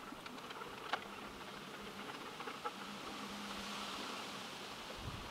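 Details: Leafcutter bee at a brick wall, where a few are building nest chambers in old holes. Two short spells of low droning buzz come about two seconds apart, with a few sharp clicks and a constant background hiss.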